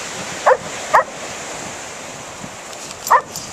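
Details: Female Standard Poodle at the beach after losing her tennis ball in the waves, with other dogs watching from the shoreline; two quick sharp barks, then a third after a pause, over steady hissing surf.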